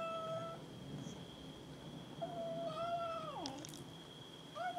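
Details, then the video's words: Domestic cats fight over food with drawn meows, one long call sliding sharply downward into a lower wail, followed by clattering and another rising meow. A steady high hum sounds throughout. "Cats meow and fight each other over food"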